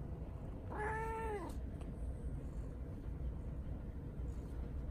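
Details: Domestic cat named Blue, settling beside a still-warm laptop after it was used, gives one clear harmonic meow lasting about half a second early on, then only a low steady indoor hum remains.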